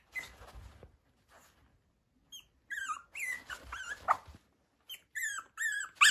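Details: Yorkshire Terrier at a breeder's home in Okayama, Japan: short high whimpers and squeaky yelps, some falling in pitch, in irregular clusters after a soft rustle.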